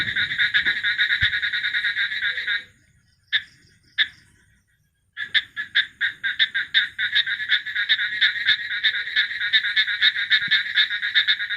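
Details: Frog calling in rapid trains of short harsh pulses, bright and raspy, repeated quickly with a brief pause midway before the pulsing resumes steadily to the end.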